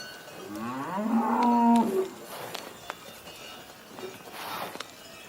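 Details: Cow lowing in one drawn-out moo that rises slightly then holds steady, followed by sharp knocks and clinks in a quieter background.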